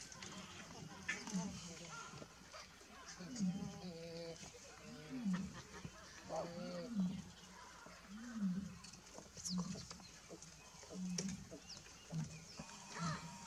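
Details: Wild baboons calling as a buffalo arrives: a series of low, harmonic, rising-and-falling grunting barks, repeated roughly every one to two seconds, with faint high chirps and rustling in the background.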